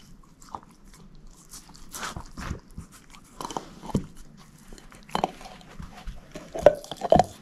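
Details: [1, 'Moose, a female shepherd mix dog, gnawing a bone in a small indoor room: irregular dry crunches and cracks, some sharp, scattered through the clip with quiet gaps, louder bites near the end.']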